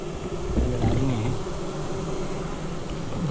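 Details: Honey bee colony at an apiary with a strong population filling the hive; low steady hum with a wavering, looping buzz of a bee flying past early on and a short rising buzz at the end.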